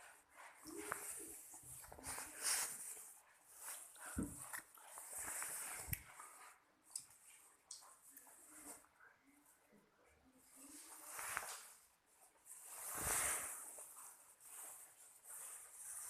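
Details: Husky puppies giving soft, high whimpers and short yelps in irregular bursts, with people talking quietly in the background.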